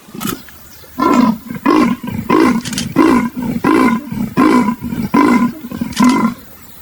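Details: Leopard calling in a rhythmic run of harsh, throaty grunts. After a brief quiet start, about eight coarse sawing strokes follow at an even pace, each separated by a short gap.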